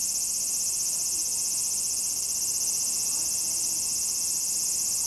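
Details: Several large brown cicadas in autumn giving their final songs with all their remaining strength. A continuous hissing, frying-like drone sits high and constant throughout, with faint low background hum beneath.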